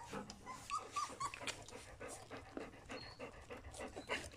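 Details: Puppies of Folie and Mayley, three weeks and two days old, breathing in quick, soft, breathy puffs at about four per second, with a few brief high whimpering notes near the start.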